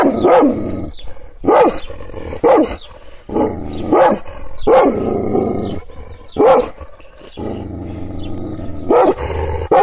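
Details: Provoked Kangal shepherd dog barking in anger: about nine heavy, coarse barks in ten seconds at an uneven pace, with low noise filling the gaps between barks.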